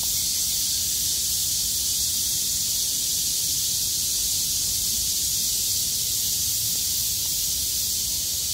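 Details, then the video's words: After heavy rain stopped on 6 August 2020, surviving cicadas sing as loud as they can; a continuous, hissing high-pitched drone holds steady throughout, no pauses, slight low-frequency noise underneath. "매미들의 합창"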